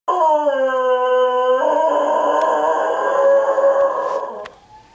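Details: Pet dog howling at sirens: long sustained harmonic tones held steady, then wavering and overlapping with a steady siren tone, fading out near the end.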